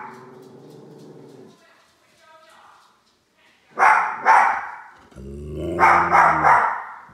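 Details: Two little dogs barking at a large toy; a low whine opens, then paired sharp barks and a cluster of yappy barks over a growl near the end.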